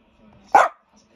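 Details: Border Terrier, one of a household's dogs, searching indoors for a missing Deerhound companion: a single sharp, loud bark about half a second in, short and broadband, with faint low murmuring before and after.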